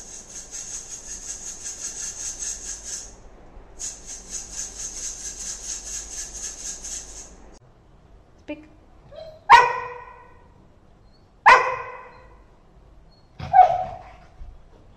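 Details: Golden Retriever reacting to things it doesn't like: a long stretch of high, steady hissing first, then three sharp, yelping barks roughly two seconds apart, with a faint lower yelp just before them.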